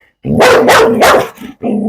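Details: Belgian Malinois barking up close: three loud, sharp barks in quick succession, then a brief pause and a fourth, lower bark.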